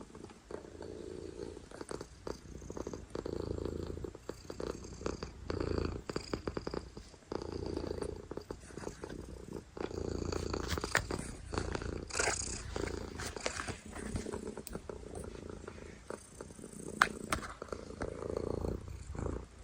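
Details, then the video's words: Domestic cat purring loudly close up, a steady low rumbling drone throughout with soft rhythmic pulses from breathing, plus occasional rustling and handling noise. "Loudest Cat Purrs"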